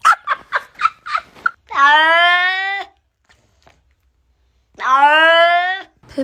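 Short human voices or laughter come first. Then a cat gives two long, sustained meows a few seconds apart, each held steady and dropping slightly in pitch at the end.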